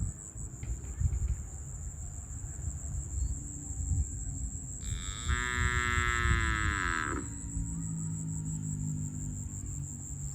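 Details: Farm cows being herded to the barn; one long harmonic moo lasting about two seconds rises out of steady low rumble and a constant high electronic whine, with faint speech around it.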